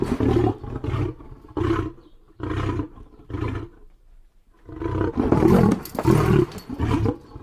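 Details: Loud lion roar sequence: four booming, rasping grunts, a brief pause, then a louder, harsher cluster of heavy grunts with strong low rumble.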